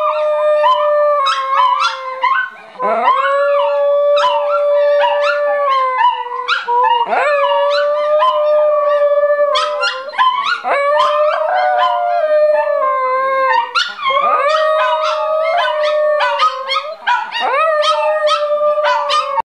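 A hairless dog howls in long, steady, wavering notes, each one breaking off and starting again.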